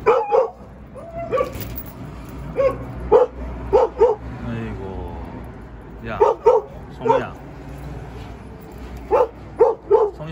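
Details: Jindo dog, temporarily boarded at an acquaintance's home and very thin from eating little, giving short sharp barks in quick pairs and triplets, grouped in clusters separated by brief pauses, over a steady low background hum.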